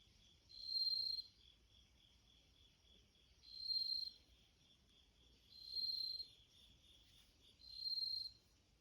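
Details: Bell cricket singing outside a screen door beside a house entrance while a cat listens; clear high ringing bursts, each about half a second long, repeated roughly every two to two and a half seconds over a quiet background.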